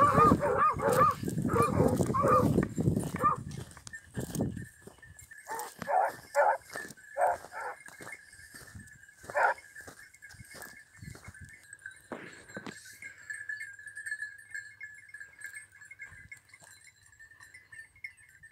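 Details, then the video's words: Basset hound and beagle during hare hunting training in Cyprus: a dense chorus of baying opens, then separate short barks and yelps every second or so, thinning out and going quiet against a constant high-pitched background drone. "ΕΚΠΑΙΔΕΥΤΙΚΟ ΛΑΓΟΥ ΚΥΠΡΟΣ No 33 BASSET HOUND AND BEAGLE"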